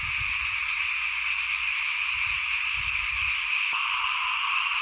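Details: Small frogs chorusing before a house at rice sowing time, 2021. A continuous high, buzzing trill fills the background, while soft low thumps and rumbles sound during the first half and a sharp click comes near the end.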